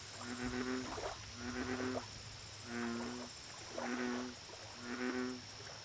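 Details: Bullfrog calling at a lake: five deep, resonant, buzzy croaks, each about half a second long, evenly spaced, over a background of fast high-pitched insect trills.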